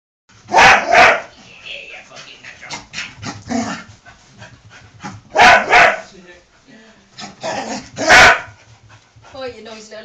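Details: Pet Scottish Terrier doing his usual greeting indoors: loud sharp barks in pairs, with a few seconds between bursts. Softer whines come between them, and a man speaks in the background.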